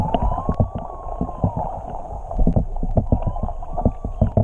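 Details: Whales singing underwater off Tonga, recorded while swimming with them. Two long, smooth, mid-pitched moans arch up and gently down, under dense crackling clicks and low water rumble.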